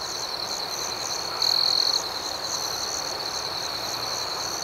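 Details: Crickets at night: an unbroken high trill with rhythmic pulses above it, and one closer insect chirping loudly for about half a second before fading back into the even chorus.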